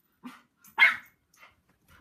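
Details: Puppy reacting to a passing helicopter with one loud, harsh bark between a few faint soft huffs, in a quiet room.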